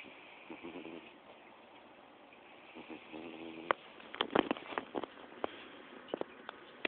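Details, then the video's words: Pete, a four-month-old American Bulldog puppy, snoring while asleep: two short buzzy, harmonic snoring breaths about two and a half seconds apart, followed by scattered clicks and rustling sounds. "American Bulldog puppies snoring"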